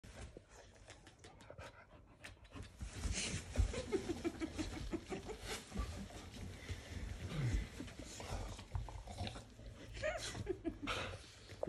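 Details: Dog licking a person's face indoors, its quick soft panting breaths running about three a second, low and breathy, with licking noises, shuffling and faint laughter in a small room.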